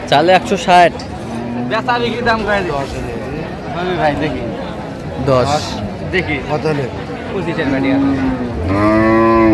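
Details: Cows with calves at the Raniganj haat cattle market in Dinajpur, 4 September 2025: several drawn-out, low, harmonic moos, one early and a louder rising one near the end, over steady market chatter and traders' voices.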